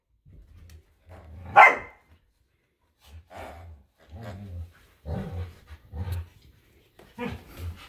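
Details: Samoyed Luma and Keeshond Zuko scuffle over a squeaky hedgehog toy in a winter yard. Deep, gravelly growls pulse repeatedly, broken by one high, sharp yelp or squeak.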